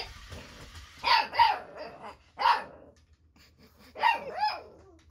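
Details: Eight-week-old Boxer puppy named Baron barking at Ollie, an interactive robotic toy with lights, sounds and movement. Five short, high-pitched puppy yaps arrive in two clusters, the first three close together, then a pause before two more.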